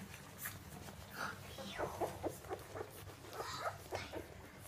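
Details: Basenji puppies of one litter at 17 days old indoors, giving a series of short, high whining squeaks and whimpers, some rising then falling, repeated about every half second, with faint rustling and low room hum.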